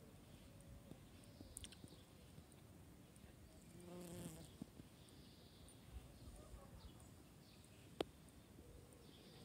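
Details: A buff-tailed bumblebee (Bombus terrestris) drones past in a low, steady hum, loudest for about a second, recorded 15 June 2021.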